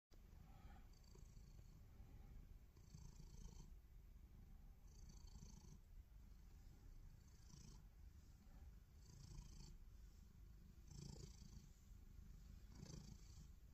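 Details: Loud purring from a black cat lying belly-up: a continuous low rumbling drone with rhythmic breath pulses every second or so, each inhale adding a faint airy hiss, steady throughout.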